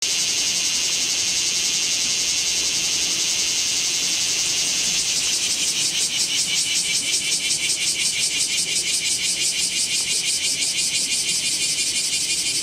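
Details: Bear cicadas singing in Kamo town on 2 August 2026 during extreme summer heat, filmed with a Z50II camera; a dense, high buzzing chorus that turns into a fast, rhythmic pulsing from about five seconds on, with faint low background rumble.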